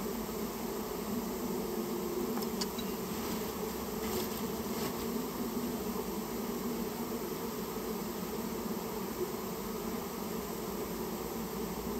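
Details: Dense, blurred drone of many Japanese honey bees as a colony is taken out of a storehouse where it had nested; even, unbroken buzzing with faint ticking sounds early on.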